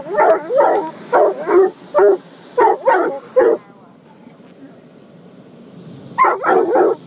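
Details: Coonhound mix named Gunner guarding his people against a car wash, giving a run of rapid harsh barks, a pause with low machine rumble, then three more quick barks to close.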